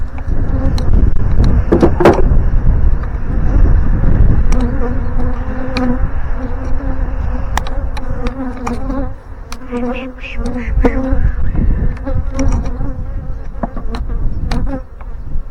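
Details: A caught honey bee swarm being installed into a five-frame box on a windy morning hums with a steady low drone under heavy wind rumble and knocks.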